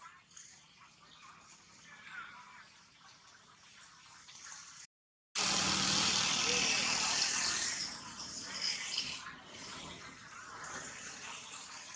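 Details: Outdoor speech mixes with vehicle and rushing water-like noise, broken by a brief total silence.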